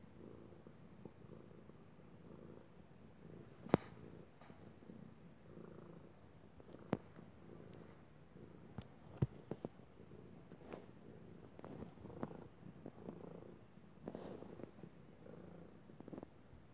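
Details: Purring of Arkimedes, a pet cat said to sound like a water heater; a low buzzing rumble, uneven in rhythm, broken by several sharp clicks and taps.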